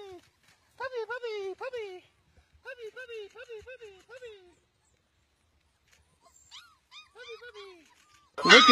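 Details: Long-coated black German Shepherds outdoors making high, harmonic whines, each falling in pitch, in two quick runs of about five, then shorter yelping whines and a sudden loud noisy burst at the end.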